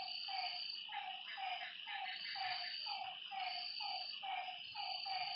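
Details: Night frog calls at a lakeside: brief downward-sliding notes in a loose, fairly quick series, roughly two per second, set against loud continuous insect trilling and buzzing higher up.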